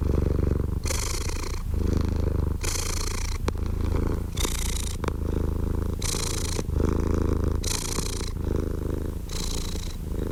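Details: House cat purring close and even, a vibrating low hum alternating with breathy inhalation bursts in a steady rhythm, a couple of faint clicks in between.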